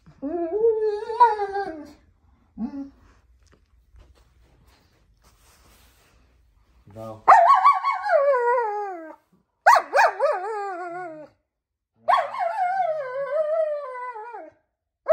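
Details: German Shepherd indoors, complaining while being taught to roll in a small space; wavering, moaning whines in four separate bursts of about two seconds each, with quiet talk from a person in the early pauses.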